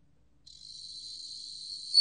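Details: Bell cricket song from Korea's National Institute of Biological Resources, 2020: a steady, pure high ringing tone starts after a short silence, holds evenly, then swells louder just before the end.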